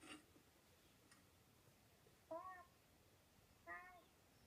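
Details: While watching Simon's Cat indoors, Rosie the domestic cat utters two rising-falling harmonic meows roughly a second and a half apart, after brief faint cartoon sounds at the start.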